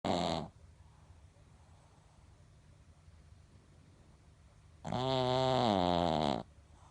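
A Pekingese dog snores in loud, rasping bursts, each a rough buzzing breath lasting over a second. Long quiet gaps separate the snores, with only faint room hum in between.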